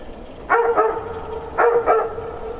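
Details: In winter, a dog at the last house of the village of Aleksandrovka in Nizhny Novgorod region barks loudly near two old cars. Two pairs of resonant barks come about a second apart over a steady low hum.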